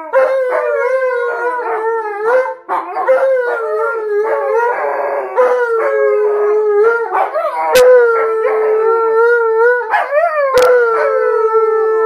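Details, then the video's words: Alaskan Malamutes howling together with a Blue Bay Shepherd, three pet dogs in all; overlapping long, wavering howls with steady harmonic tones, voices sliding up and down and briefly broken by short yelps, continuing almost without pause. "Howling Malamute's & A Blue Bay Shepherd"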